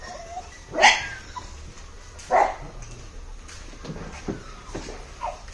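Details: Labrador Retriever named Cooper, back from a two-month basic-command training course, during a training session: two sharp, loud single barks about one and a half seconds apart over a quiet background, with faint softer sounds afterwards.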